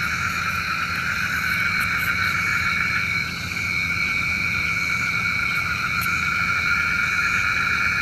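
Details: Frogs calling at night, a sound said to summon rain: a dense, unbroken chorus of steady buzzing tones stacked at several pitches, with faint high clicks now and then.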